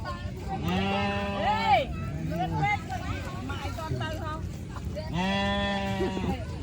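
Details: Sheep giving two long, steady, nasal bleats of about a second each, one near the start and one near the end, with people talking in between.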